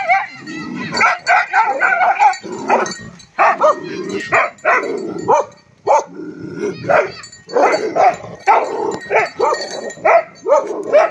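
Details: Two Tibetan mastiff dogs, Bhote Kukur, called Love and Dorje, filmed 22 November 2023. They give a long run of loud, rough barks, some drawn out and howl-like, coming roughly every half second to second with short pauses between bursts.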